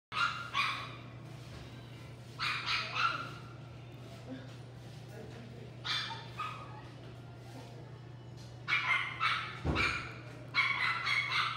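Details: Female Chipoo, a Chihuahua-Poodle mix, at a pet shop in Hamakita: high, sharp barks in short bursts of two or three, separated by pauses, with a faint steady hum underneath.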